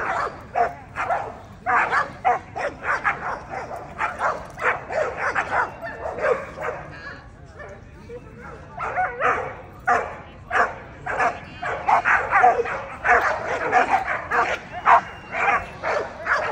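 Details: American Pit Bull Terriers at the 2024 ADBA Tristate confirmation dog show, 12–18 months female class: sharp barks and yips fire in quick, uneven bursts across the clip, with human talk underneath and a brief lull mid-way.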